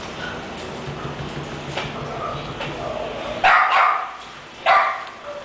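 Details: Yves, an English Bulldog, gives two loud, sharp barks about a second apart in the second half, after a stretch of quieter background murmur and faint voices.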